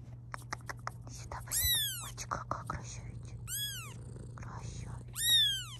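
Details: Mother cat near her kittens during filming, letting out three arched meows that rise then fall, spaced about two seconds apart, over clicks, soft rustling, whispering and a low background hum.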